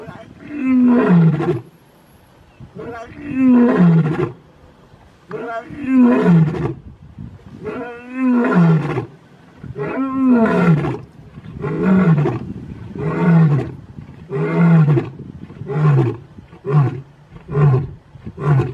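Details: Roaring by big male lions, the Mpondo males of South Africa: long descending moaning roars that shorten into a quickening run of grunts, about a dozen pulses, each falling in pitch.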